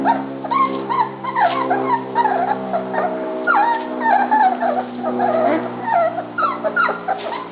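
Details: A litter of dog pups at dinnertime squeals and whines together, short rising and falling yelps piling over one another without pause above a constant low droning background.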